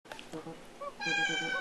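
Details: Kittens playing indoors give short, high meows early on, then a steady droning tone with many stacked overtones takes over.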